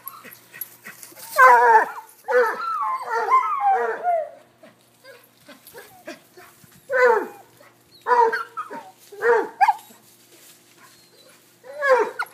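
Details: Domestic dogs, a cocker-hound, Basset and corgi, romp in a game of chase. A flurry of yappy, harmonic barks comes early, then scattered single barks separated by quiet gaps.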